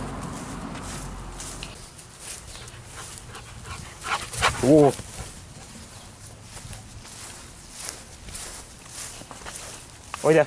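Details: Rottweiler acting up wildly outdoors, as it always does when let outside; two brief whining yelps, one around the middle and one at the very end, over steady rustling background noise.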